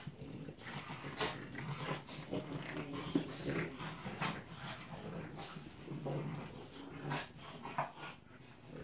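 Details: French Bulldog puppies Tinkerbell and Woody at play, producing soft scattered growls, grunts and snuffles in short uneven bursts, with some light clattering and movement noise throughout.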